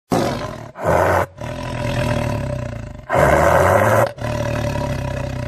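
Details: A lion's roar: loud, harsh, sustained bursts with a low rumbling base, two strong blasts separated by quieter droning stretches.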